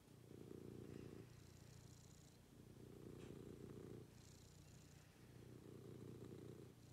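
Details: Pet cat purring through its morning routine, the low buzzing rumble swelling and fading in three even breaths of about two seconds each, quiet room with light hiss.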